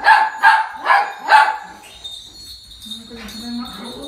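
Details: Overjoyed toy poodle welcoming its owner home late at night: four quick high yaps in the first second and a half, then quieter whining and a person's voice.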